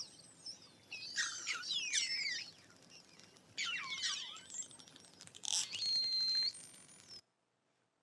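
Short-finned pilot whale giving high, sweeping whistles mixed with bursts of rapid clicks.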